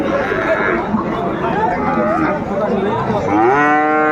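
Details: Amid the bustle of Ambari Haat cattle market, Dinajpur, 22 April 2024, with Friesian and crossbred bull calves on sale: a brief, rising, harmonic moo at the end breaks through murmuring crowd voices.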